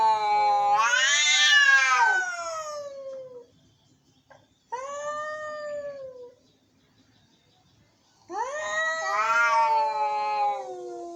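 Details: Indoor angry cats yowling: three long, harmonic wails, each swelling and bending in pitch, the first and last loud and harsh, the middle one thinner and falling away.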